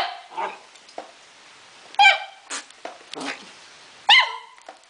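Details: Young Akita Inu cross, four months old and fond of playing, barking in a small room: a few muffled yaps, then two clear, ringing high barks roughly two seconds apart.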